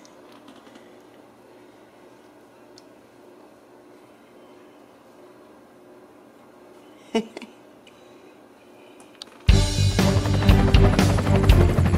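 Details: A quiet room with low hum and a brief knock, then loud drum-driven music bursts in for the final seconds.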